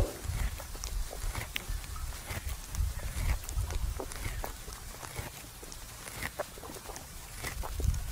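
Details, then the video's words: Resting buffalo chewing its cud at noon in a farmer's field, lying down: deep, dull grinding chews, a little over two per second and irregular, with light crisp clicks scattered over the outdoor background. "Sound buffalo chewing the cud"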